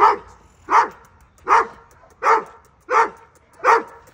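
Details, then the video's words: Doberman Pinscher, one of a two-year-old male and an eight-month-old female, showing offensive, reactive behaviour during training: six deep, forceful barks evenly spaced about every three-quarters of a second, with quiet gaps between them. "Doberman Pinscher Offensive Reaction Male Vs Female"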